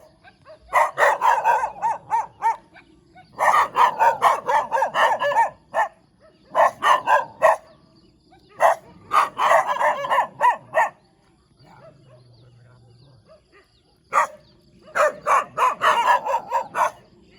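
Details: Dog barking happily with a wagging tail: bursts of rapid, sharp barks in runs of several seconds, pausing briefly between volleys, with a faint low hum during a quiet gap.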